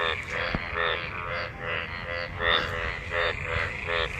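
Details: Several frogs calling in rain-gathered water after monsoon rain during mating: pulsed, harmonic croaks repeated roughly every half second, overlapping voices in a steady chorus.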